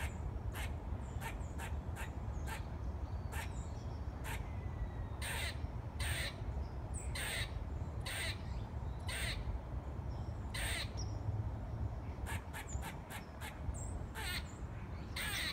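A squirrel gives sharp, harsh barking chucks, repeated irregularly over a low rumbling background.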